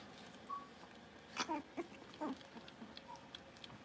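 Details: Blenheim Cavalier King Charles Spaniel puppies, a litter of five born at New Year's, playing in their indoor puppy pen while learning to bark and howl; a few short, high squeaky yips and yelps scattered over faint room noise.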